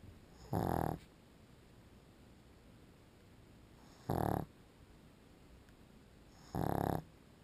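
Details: Pug dog sleeping and snoring, three loud low rattling snorts of roughly a third of a second each, spaced about three seconds apart, with faint steady hiss between.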